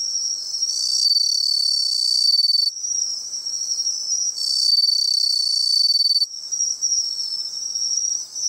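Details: Bell crickets singing at the seaside, found by following their sound: bright high ringing phrases about a second and a half long that overlap and pulse, with a steady insect buzz running beneath.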